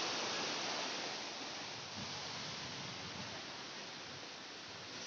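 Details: Steady rushing river water dominates throughout, a broad even hiss with no animal voices, recorded on a body-rafting trip along the Citumang river in Pangandaran.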